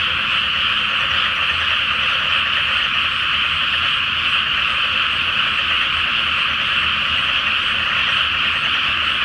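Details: Large nighttime frog chorus from a flooded paddy before rice planting, on a full-moon night: steady, dense croaking and trilling from many frogs, constant in loudness, with a soft low hum in the background.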